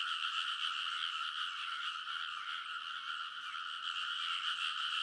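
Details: Frogs in full chorus along rice paddy ridges at midnight in early summer, Kōnosu, Saitama, Japan, recorded with a TASCAM Portacapture X8; many overlapping rapid croaking trills merge into a continuous, pulsing wall of sound.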